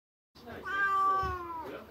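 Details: A domestic cat gives long, drawn-out meows that hold steady then drop slightly, calling out at night in reaction to a pure-white stray cat using the area around the house as its path.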